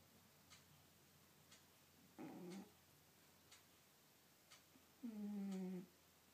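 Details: Two rough, low snores from Sky, a pet cat, the second longer and louder, separated by quiet, as a clock ticks regularly once per second inside a small room.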